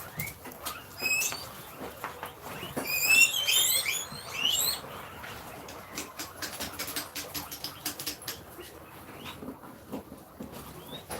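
Guinea pigs wheek in shrill, overlapping whistles, rising and falling as they wait impatiently for food.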